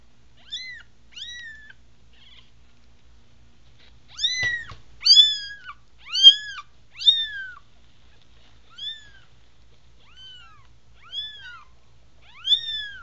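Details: American Bobtail kittens from a new litter of five, eyes just opening, indoors: high, thin arched meows, several overlapping from different kittens, some rising then falling, repeated about once a second in bursts, quiet background with a soft low thump.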